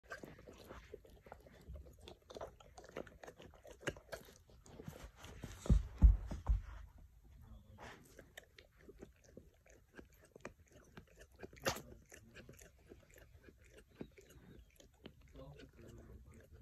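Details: Great Pyrenees named Mellow chewing and playing with a Kong toy: irregular soft crunches, clicks and dull low thuds scattered throughout, with a louder cluster of knocking around the middle and a quiet room behind.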